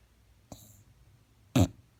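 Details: An English Bulldog snores loudly with two short, rough, snorting breaths about a second apart.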